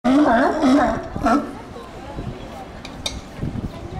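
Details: Herd of sea lions hauled out at the Sea Lion Docks in Newport, Oregon: three or four harsh, harmonic barks crowd the first second and a half, then the din drops to a softer murmur of distant calls.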